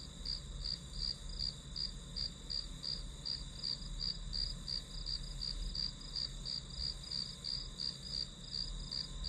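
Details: Insects in the grass keep up a bright, evenly pulsed chirping, roughly three pulses per second, over a constant high whine and soft low background noise, used as study white noise.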